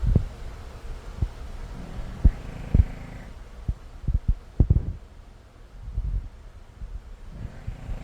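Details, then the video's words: Sleeping puppy named Martian Pup lying in a patch of sunlight, snoring loudly: deep low rumbles with sharp snorting bursts at irregular intervals, quieter breathing in between. "Martian Pup sleeps 💤 😴 on a patch of sunlight ✨️ whilst snoring like nobody's business."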